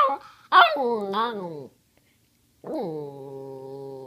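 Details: Cody, a chatty pet dog begging for treats, gives a quick yelping rise that slides down into a moaning whine, then after a pause a low, level, sustained groan.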